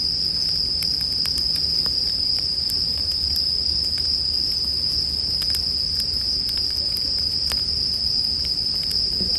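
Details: Bell crickets heard with a crackling campfire as restful sleep background: a persistent high, bell-like ringing tone carries through, accompanied by frequent sharp fire pops and a faint low hum near the start.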